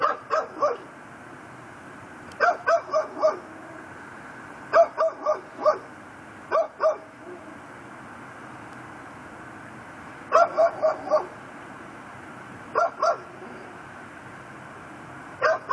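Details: A Pit Bull tied up on a front porch at night (10:30pm, 18 December, Louisiana) barks in short bursts of two to four sharp, ringing barks, with pauses between; said to bark constantly.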